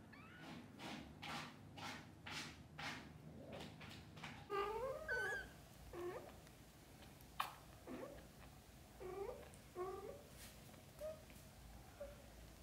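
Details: Kittens, just awake, asking their mother cat to play outside: after about four seconds of evenly spaced soft knocking pulses come several short wavering meows, some rising then falling, spaced a second or two apart, with quieter chirps later.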